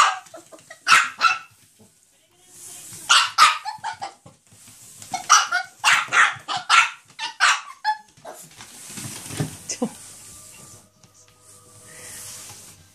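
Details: Excited Chihuahua named Choco facing a Quickle Wiper floor wiper: bursts of shrill yapping barks in uneven clusters, several rapid ones back to back, with scraping and household sounds toward the end.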